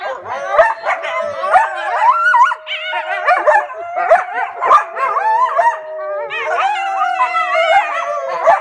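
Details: Captive coyotes at The Alaska Zoo howling in response to children howling. Rapid, wavering yips and quavering howls overlap densely, with a steadier, sustained howling tone running beneath for most of the stretch.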